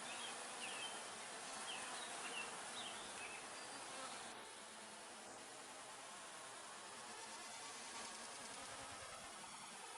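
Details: Honey bees active at their hives in an apiary, recorded close up on 5 June 2020: a dense, steady hum with a bright hiss, evenly sustained throughout with slight swells and no pauses.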